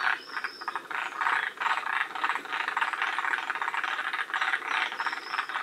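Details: A group of forest green tree frogs from a northernmost population at Shiriya, Aomori, Japan, gives loud, dense, rattling croak trains in rhythmic surges, with a couple of brief high whistles above.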